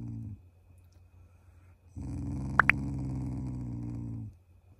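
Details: Affectionate Shiba Inu, a loving family pet, gives a playful, not angry growl: a deep buzzy rumble lasting about two seconds after a pause, with two short bright dings over it.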